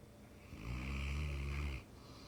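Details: Sleeping Mastiff snoring: one long, deep, rasping inhale lasting over a second, rumbling low with a hoarse hiss on top, then fading into quiet breathing.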